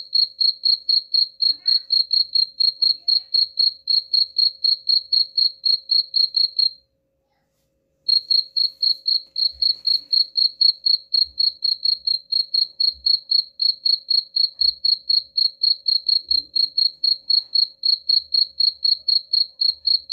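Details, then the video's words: Cricket chirping, offered as a rat repellent: shrill, evenly spaced chirps about four per second, briefly cut off by a second of silence midway, then resuming unchanged; faint low thumps in the background. "suara jangkrik pengusir tikus ampuh"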